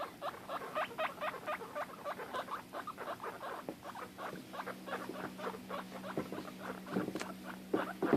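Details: Domestic guinea pig, upset when unable to see her sister, giving a long run of rapid squeaks that loosens into scattered notes, with a low mechanical hum underneath.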